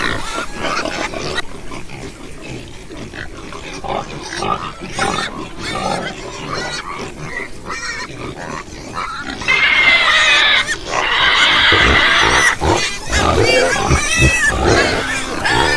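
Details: Several pigs on a farm grunting and squealing, short rough bursts coming irregularly, growing louder and more crowded with high shrill squeals in the second half.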